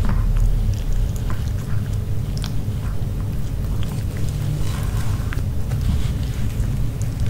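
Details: Dog named Nino eating grilled pork pouch, no talking: scattered soft bites and moist chewing clicks at an uneven pace, sitting above a continuous low-pitched hum.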